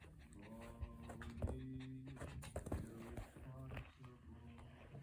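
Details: Pomeranian panting from stress during a thunderstorm with strong winds; quick breathy pants run over low, steady droning tones while a person talks to the dog to settle it and stop it barking.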